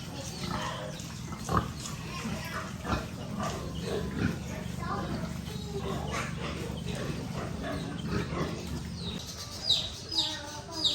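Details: Little piglets on a rural pig farm: a continuous mix of grunting and short squeals from several animals, with sharper, louder rising squeals near the end, over a low humming background and possible human voices.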